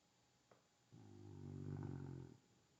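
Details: Rescue dog asleep and snoring. A faint click is followed by a single drawn-out, low, rattling snore of about one and a half seconds that swells in loudness before stopping, with a quiet indoor background.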